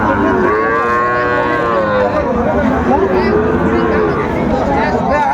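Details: Sahiwal cattle bellow at a crowded market in Chapainawabganj, Bangladesh, on 19 September 2024. A loud, sustained moo opens, followed by further drawn-out, wavering calls from other animals over low background chatter.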